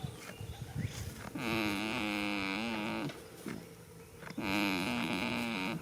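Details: Goat asleep in a field on the first day of spring, snoring: two drawn-out, nasal, buzzy groans about a second and a half long, separated by a quieter gap of breathing, with faint outdoor background.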